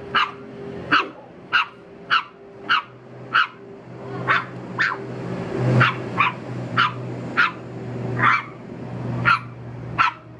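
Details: Dog barking at a stranger in a fast, fairly even series of short, punchy barks, nearly twenty in all, over a low engine-like drone and a constant hum.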